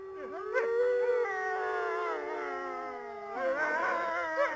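Wolves howl in long, steady, mournful tones that waver and overlap as more voices join.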